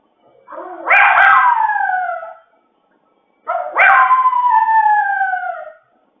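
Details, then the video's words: Howling of a male dog home alone, likened to a wolf crying: a soft rising onset swells into a loud wavering tone that falls slowly over two seconds, then after a pause a second similar howl follows. "He was making wolf crying sound when nobody at home."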